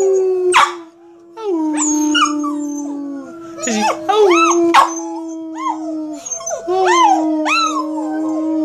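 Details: A female Boston Terrier learning to howl gives wavering, sliding howls and yips while a person howls along to encourage her.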